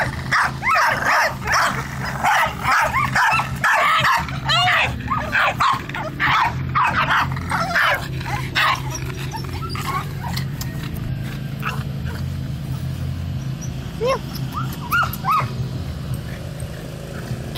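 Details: Dogs bark over Billy, a black cat. Rapid, overlapping high yaps fill the first half, then thin to scattered barks and rising whines. A steady low hum runs underneath.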